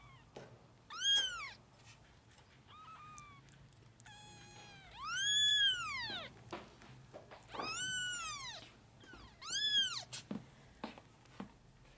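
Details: Litter of five four-week-old kittens at lunch time, bottle and spoon fed, competing for milk; a series of shrill arched mews, some long and loud, some short and weaker, with handling clicks between.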